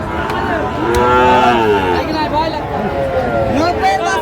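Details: Sahiwal bull calves at a cattle market in Kushtia, Bangladesh: overlapping harmonic moos with wavering, arching pitch amid loud crowd chatter and market noise.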